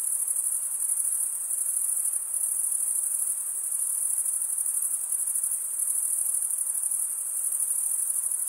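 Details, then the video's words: Steady high-pitched trilling of crickets, produced by wing-on-wing stridulation, runs without a break and with gentle rhythmic flutter, over low soft hiss and no other clear sounds. "Most relaxing cricket sound for 8 hours"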